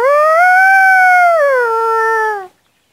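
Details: Dog howling loudly: a single sustained, strongly harmonic note that rises slightly, holds level, then steps down and fades after about two and a half seconds.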